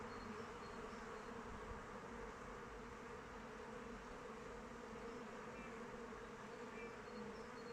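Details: Honey bees flying around their hive in open weather: a dense, steady drone with a low hum and a stronger band higher up, unbroken and even in volume throughout, with a few faint high chirps in the distance.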